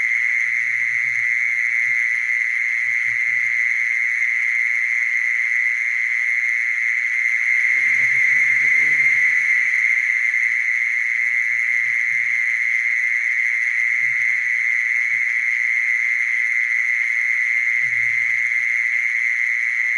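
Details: Long, unvarying buzzing trill from a mole cricket, constant in pitch and loudness, accompanied by scattered faint low murmurs, strongest around the eighth to ninth seconds.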